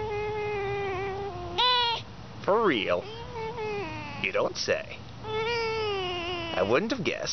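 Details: A pet fox at play gives drawn-out, wavering whines with stacked overtones, broken by a few sharp rising-and-falling yelps and short squeals.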